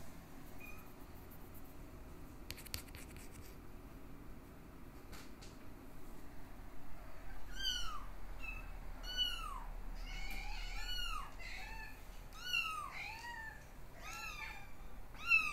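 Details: Nursing Exotic Shorthair x Ragdoll kittens, born 15 August 2022, feeding from their mother; after a quiet start, a run of high arched mews overlapping from several kittens, repeated roughly every second, with soft rustling and faint low room noise.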